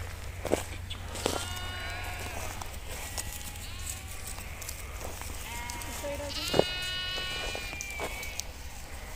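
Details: Grazing flock of nomadic sheep in Kashmir; several long, steady, richly harmonic bleats, one strong call near the end, separated by quieter wavering ones, over a low continuous rumble and a few sharp clicks.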